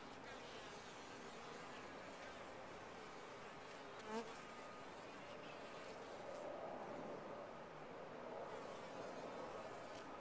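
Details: Continuous droning hum of honey bees in a top-bar hive, a low steady buzz that swells slightly louder in the second half, with one short sharp tap partway through.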